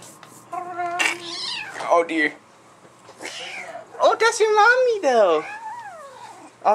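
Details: Domestic cat indoors, a black-and-white mother cat hostile toward her black offspring newly returned home; harmonic yowls rising and falling, some long and wavering, mixed with a person talking over them.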